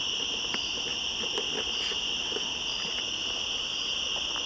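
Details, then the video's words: Cicadas calling back and forth in woods at the top of the switchbacks on 1 September 2014, a steady unbroken buzzing drone with a fainter higher shimmering tone above it, plus scattered soft clicks. "Cicadas Yammering At Each Other"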